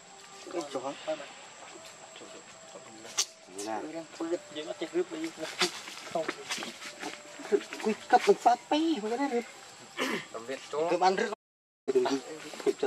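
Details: Baby monkey named Leo crying while begging its mother for milk: repeated short wavering, harmonic whines and squeals in quick bursts, with rustling, clicks and human speech in the background.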